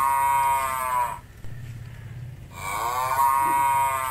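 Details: Village cattle eating grass eagerly on a farm, fed by hand. Two long, drawn-out harmonic moos, the first lasting about a second and the second about a second and a half, with a steady low hum between them.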